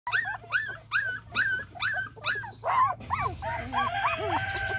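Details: A dog during mating gives a run of short, high, arching whimpers about twice a second, then a looser jumble of yelps and whines over a low steady hum, with music creeping in toward the end.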